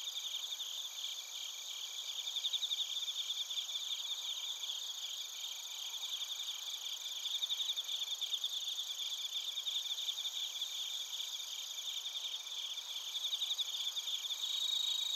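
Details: Chorus of suzumushi bell crickets and kōrogi field crickets recorded in Narita, Chiba Prefecture, Japan, with a TASCAM Portacapture X8: continuous high ringing trills overlaid by rapid pulsed chirps, swelling and fading slightly in loudness over fifteen seconds.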